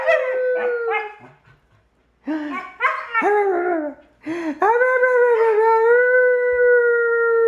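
A German Shepherd puppy gives short wavering yelps that build into a long, steady, tuneful howl.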